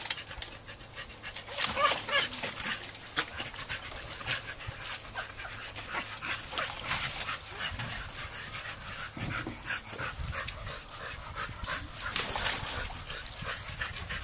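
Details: American Staffordshire Terriers recorded on an Android phone; rapid, breathy panting at roughly three puffs per second runs through the clip, with scattered brief louder bursts and a faint low hum underneath.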